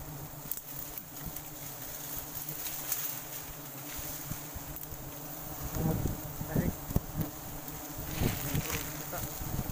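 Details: Wild forest honey bees at a sustainable harvest keep up a dense, low humming buzz, with rustling, knocks and wind, and a person talking over the swarm in the second half.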